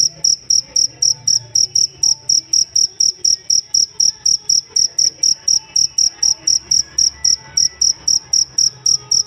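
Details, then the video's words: Cricket chirping as a master tutor sound for songbirds: steady, high, shrill pulses about four per second, evenly spaced and unbroken, with a faint low hum beneath. "Benar benar merdu ngerik nya sang masteran burung kicau"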